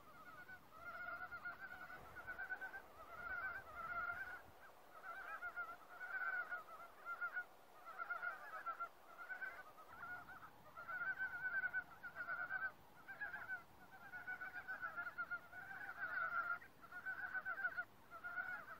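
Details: Woodland frog chorus, the frogs resuming together after going quiet at a human presence. Loud, evenly spaced bursts of pulsed, nasal croaking repeat about every second, dense and continuous.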